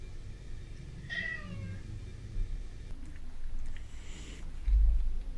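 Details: Three male cats, Prince (a British Shorthair), black-and-white Tom and white-and-ginger Mimi, play fighting indoors; one short, strained, falling meow at about one second, then low rumbling, scuffles and soft thumps.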